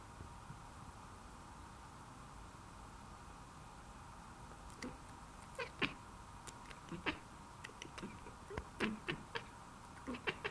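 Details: Cats chattering at a bird: quick, short clicking bursts that come in small clusters over the second half of the clip, above a steady low background hum.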